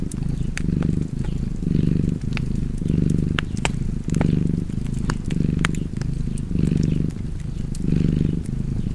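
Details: Domestic cat purring steadily beside a fireplace, a low rumbling purr swelling and easing in roughly one-second cycles as the cat breathes in and out, with sharp crackles and pops of burning wood throughout.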